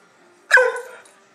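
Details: A single sharp bark from a dog named Oscar, given on command during trick training with puppies; one short harmonic burst, then quiet room.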